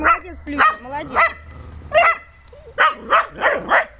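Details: Dog at play with water mixes brief whining, sliding tones with sharp barks, ending in a fast cluster of four barks.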